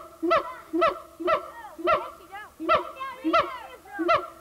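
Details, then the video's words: A siamang gibbon at the Memphis Zoo, recorded in 1990, gives loud, nasal, honking barks, about two each second. "Siamang Gibbon"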